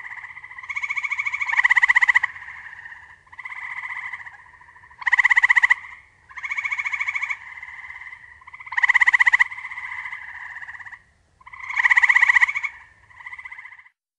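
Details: Eastern gray treefrog. Eastern gray treefrogs trade short, pulsing trills, each a rapid burst of notes lasting one to two seconds. A loud frog and a fainter one seem to alternate, so the calls come in steady turns.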